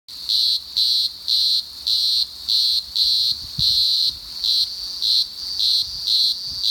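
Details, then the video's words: Green grocer cicada singing: a loud, shrill, high buzzing song broken into regular pulses about twice a second, each pulse steady and even, with only faint low background rumble beneath. "Green Grocer Singing"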